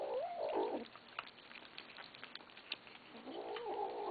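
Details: Kittens begging for food, later growling at each other while eating; a wavering drawn-out cry opens, soft clicks and rustles follow, and another long wavering meow closes.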